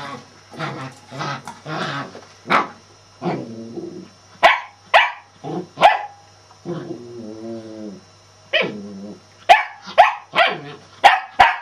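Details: Shetland Sheepdog barking in bursts of sharp, high yips and barks, several quick barks close together with short pauses, some lower-pitched rougher barks mixed in; a steady faint hum runs underneath.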